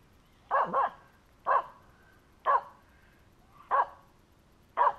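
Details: Dog harassing a squirrel outdoors: clipped barks about once a second, the first a quick double, the rest single, over a quiet background.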